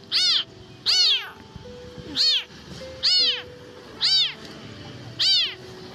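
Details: An abandoned lone kitten found in a rubbish dump gives high, thin meows, each rising then falling, about every second. It is hungry and trembling, perhaps thirsty and searching for its mother.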